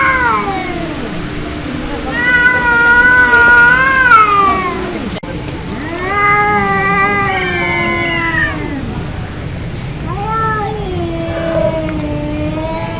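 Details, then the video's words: Angry cats in a real fight trade long wavering yowls, each several seconds, rising and falling in pitch with low moaning tails, repeated back and forth. "Angry Cat Fight Cats Sound Effect Real fight Of cats Audio"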